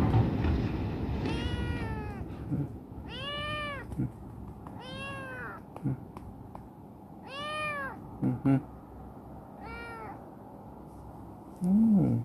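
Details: Chibikuro, a rescued black female former stray now affectionate and living in a warehouse, meows insistently: five clear, arched, harmonic meows repeated about every two seconds, with a few knocks and rustles.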